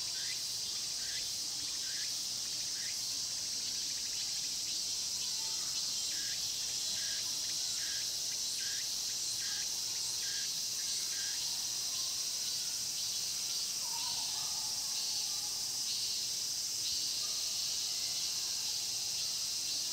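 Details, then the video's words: A dense cicada chorus in the Mokgye pine grove, Cheongsong, Korea: a steady high shrill hiss with pulsed buzzing phrases repeating over it. "자연의 소리 '청송 목계솔밭 매미소리' cicada sound"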